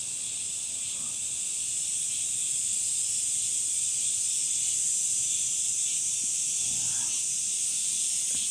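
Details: Summer cicada chorus: a dense, continuous high buzzing hiss that holds steady without pause for the whole stretch, with a faint voice murmuring near the end.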